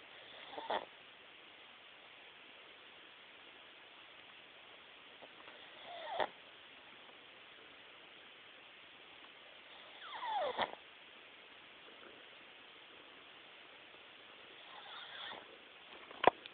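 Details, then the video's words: A cat named Mimi snoring softly: quiet, breathy snores come about every four to five seconds, each swelling briefly and ending abruptly, with near silence between breaths. "Mimi snores"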